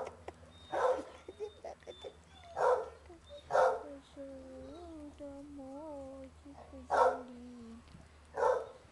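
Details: Basset hounds playing together in a lively kennel romp. Sharp single barks are spaced a second or more apart, and a long, wavering, rising-and-falling whine runs between them.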